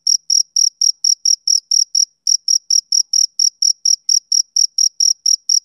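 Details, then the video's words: Bright, high-pitched chirping of a male cricket at a steady pace of about three to four pulses per second. A short pause falls around two seconds in, and the rest of the background is silent. "Cricket Chirping Sound Effect"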